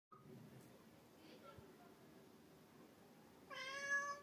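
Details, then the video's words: Cat that rarely meows gives one loud, drawn-out meow near the end of the clip. The cry is rich and harmonic and comes after a long quiet stretch. "loud meow"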